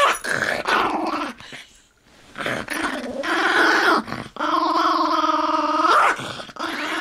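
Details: A small Toy Fox Terrier guarding a bone gives a series of growls, some rough and others stretched into a tense, whining tone, as a person quietly asks for it between the growls.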